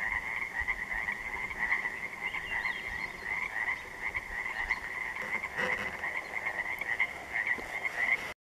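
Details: Pacific tree frogs, also called Pacific chorus frogs, calling at dark on an interior lake on June 3, 2014; a dense overlapping chorus of raspy croaks, many voices blending continuously.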